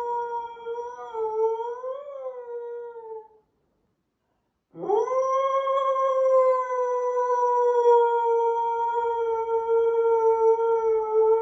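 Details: Dog in the United States howling to sirens while standing on a couch by a window: a short wavering howl, a brief silence, then a long steady drawn-out howl with rich overtones, almost no background noise.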